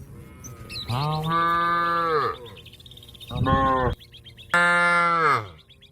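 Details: Cow calling to a companion grazing in a field, long drawn-out moos: two sustained low calls with a short one between, each holding steady then sliding down at the end, with faint background sounds.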